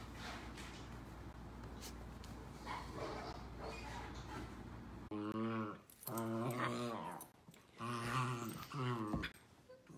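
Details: Miniature Dachshund at play: after a muffled, noisy opening, three drawn-out, wavering harmonic whines follow in succession, each lasting about a second or more.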